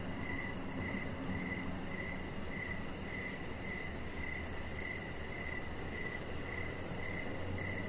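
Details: Crickets in the evening outdoors, chirps spaced about half a second apart in a continuous even rhythm, with a soft low hum beneath.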